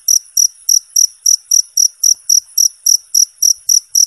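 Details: Clean, clear cricket chirping meant as tutor material for contest birds; shrill pulses spaced evenly, about thirteen in four seconds, nothing else audible.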